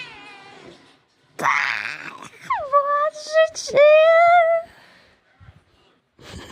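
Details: Domestic cat meowing indoors: a harsh noisy burst, then two loud drawn-out meows, the first sliding down and levelling off, the second long and slowly rising, in a quiet room.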